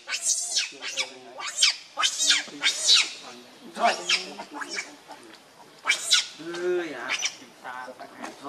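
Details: Rainbow, a monkey, very angry while protecting Lucie from Kachoy: shrill, harmonic screams in short bursts, some rising and falling, with lower wavering squeals between them and a voice in the background.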